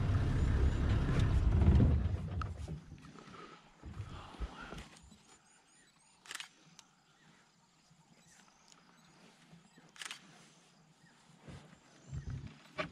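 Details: Two lions feeding on a wild boar killed by lionesses the previous evening at Mkuze Falls Private Game Reserve, Zululand, South Africa. A deep, rumbling growl fills the first three seconds, then quieter scattered low thuds and faint clicks follow.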